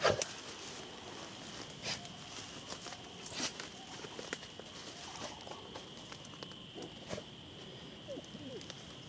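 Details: Chorus frogs give a steady, high clicking drone from the edge of a vernal pool in western Washtenaw County, Michigan, around 8:30–8:40 pm on April 2 after a rainy day. Occasional spring peepers and whooping sandhill cranes call faintly, with rustling and footsteps.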